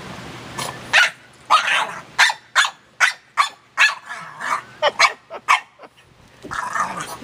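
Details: Pet dog barking and vocalizing excitedly as a motorcycle is about to be started for a ride: a rapid, irregular series of about fourteen sharp, harsh barks over seven seconds, ending in a longer rough yowl, with faint human voice.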